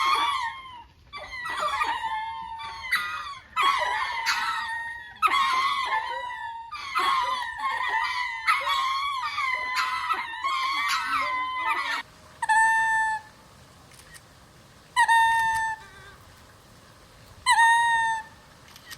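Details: Captive ring-tailed lemurs at Japan Monkey Centre's open WAO Land, Inuyama, in winter (22 December 2025), gathered sunbathing, suddenly burst into a chorus of overlapping, cat-like meowing calls, then a few single calls.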